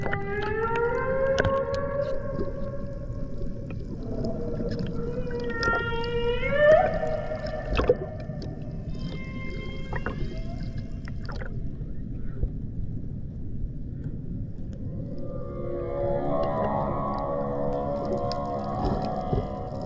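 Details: Humpback whales at the Banco de la Plata sanctuary, 120 km northeast of Puerto Plata, Dominican Republic, in 2024. Tonal moans with stacked harmonics turn into rising whoops and higher squeals, then give way to a rougher, lower groaning phrase, with scattered clicks.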